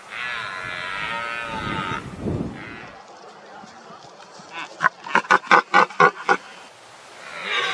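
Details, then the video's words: Red deer stag during the rut, roaring and grunting to keep rivals away and hold his hinds. A drawn-out harmonic bellow opens, then a rapid series of about eight short, deep grunts follows, each under half a second. "HUGE RED DEER STAGS ROARING"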